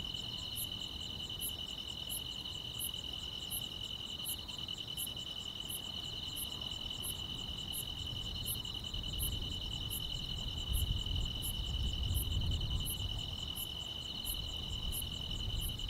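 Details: Grass insects fill a still countryside summer night with a constant high trilling drone and evenly spaced very high ticks; a low rumbling swells in the background during the second half.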